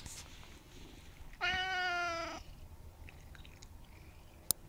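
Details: A portly male Siamese cat gives a single loud, drawn-out meow lasting about a second, steady and rich in tone.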